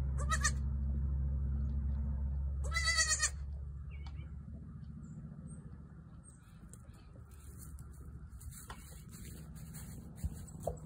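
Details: Newborn female goat trying to jump around: two short high bleats with stacked harmonics, the first brief near the start and a longer wavering one about three seconds in, over a steady low hum and faint rustling.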